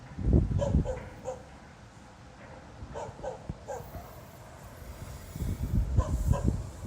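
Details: A dog barking at 02:28 on the night of 26 November 2016, again without apparent reason and for half an hour. Sharp, distant barks come in short bursts, two close together, then scattered single barks, over a steady low rumble.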